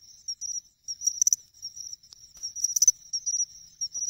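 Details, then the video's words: In August, a pine cricket sings its chinchirorin at an Ehime pond, Japan. Thin, high tonal notes run almost continuously, broken by two louder ringing clusters of rapid chirps. "ため池でマツムシを探す！チンチロリンって実際どんな声？？ Pine Cricket Sounds"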